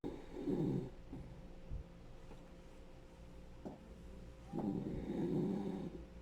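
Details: Rescued senior male Dachshund, ten years old, snoring indoors: two long rasping inhaled snores, one at the start and one near the end, separated by quieter breathing and small snorts.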